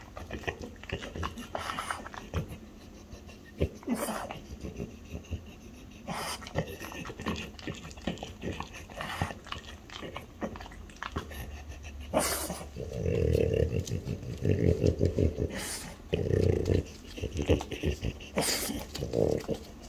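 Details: Indoors, two French Bulldogs, mother and daughter, over chicken breast: irregular quick panting breaths, then louder low snuffling grunts clustered near the end, with scattered clicks and handling noises.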